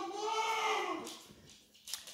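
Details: Dog howling during its owner's daily absence: a steady tonal wail that slowly falls and fades after about a second, followed by faint clicks and rustling.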